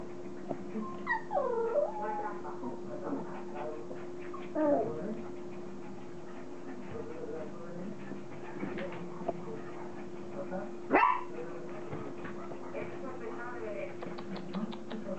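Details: Playing Border Collie puppies from Kim and Indi's litter give curved, wavering whimpers and short squeals at uneven intervals, one sharp yelp standing out, over a constant electrical hum with faint voices.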